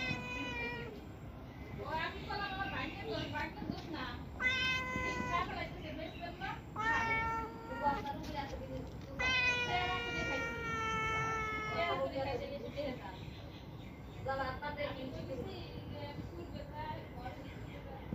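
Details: Cat meowing repeatedly toward a person, a string of drawn-out harmonic meows, some rising then falling and one long steady cry near the middle, interleaved with a person talking softly in Bengali.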